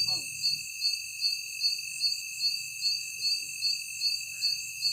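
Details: Insects at night producing a constant piercing whine with evenly spaced shrill pulses, roughly two or three each second. A faint low rumble hums underneath, and a short, soft knock sounds at the start.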